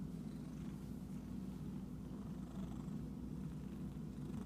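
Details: Unbroken low purring from an itchy pet cat, steady and throbbing, with little else heard.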